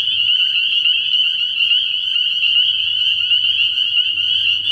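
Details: Spring peepers calling at night from a frog pond early in the year: a dense, unbroken chorus of high, shrill peeps merging into a steady ringing band, many frogs overlapping, with a faint low hum underneath.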